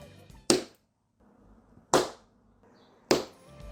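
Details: Rabbit (Oryctolagus cuniculus domesticus), hind-leg thump: alarm warning other rabbits of danger.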